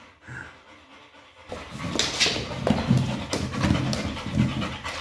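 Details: Pit bull playing with a Pilates ball, quiet at first, then loud rapid panting begins after a second and a half, breathy pulses about once every half second, with room noise.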